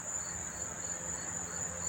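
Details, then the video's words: Crickets near Monmouth Park Racetrack, New Jersey, September 4, 2023, unseen in the grass: an unbroken high trill overlaid by short pulsed chirps about every quarter second, with low rumbling background noise. "sound of the crickets chirping"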